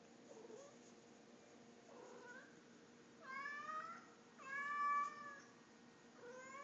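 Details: Pet cat Tommy talking back to its owner at bedtime indoors, soft faint mews at first, then two loud, bright meows close together, the second longest and strongest.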